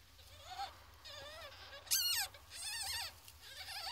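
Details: Ferret kits, 14 days old, giving thin wavering squeals with rising and falling harmonics, several calls in a row including a louder, brighter cry near the middle, over a low steady hum.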